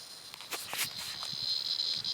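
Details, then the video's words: A cicada caught at night in the mouth of a dog named Peggy gives a steady, high, hissing buzz, muffled at moments, over the dog's footsteps and scuffling, while a voice tells the dog to drop it. "Peggy has a Cicada Bug in her mouth"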